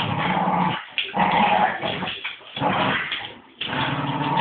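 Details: Two Staffordshire bull terriers in rough play, attacking their owner, growling in long harsh rumbling bursts broken by short pauses, with scuffling noise throughout.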